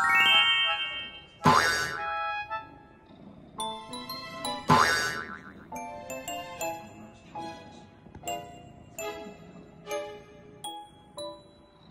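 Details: Playful children's-style music with bouncy boing effects, tinkling chimes and bright plucked notes, and no animal voice present.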